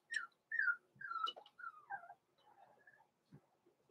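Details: Blenheim Cavalier King Charles Spaniel puppies, born November 14, 2022, from a small litter in an indoor puppy pen, give a run of high, whistled whines that slide downward, several short cries within four seconds, with soft squeaks trailing off.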